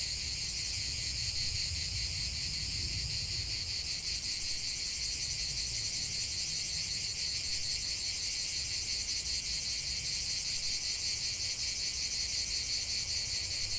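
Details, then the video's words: Steady shrill singing of cicadas in the open, a high pulsating buzz that holds constant throughout, accompanied by a low ambient rumble. "45 min de chant des cigales"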